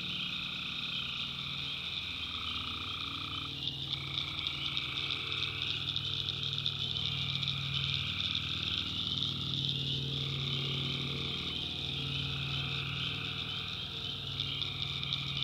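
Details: Tree frogs calling at night in a North Carolina backwoods swamp: a dense, steady chorus of overlapping trilling calls, with a continuous high insect buzz from crickets and a low rumble underneath.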